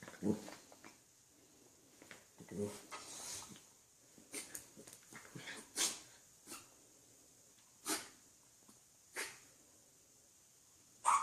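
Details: A dog sneezing in a series of short, sharp, breathy bursts a few seconds apart, some loud and abrupt, with quieter snuffling between; oddly honking sneezes, compared in jest to a horse or a turkey.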